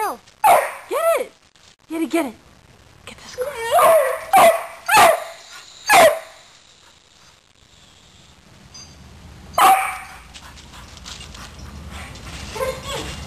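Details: Two pet dogs hunting a squirrel give a string of sharp, excited barks and yelps, some with rising-falling pitch, spaced irregularly over the first six seconds, then one more bark, amid a person's encouraging speech.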